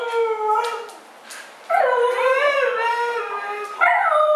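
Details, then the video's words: Two arguing dogs, Mishka and Laika, produce a steady whining note, a brief lull, then a loud, undulating, talk-like howl ending in a sharp upward-bending cry. "2 TALKING DOGS ARGUE"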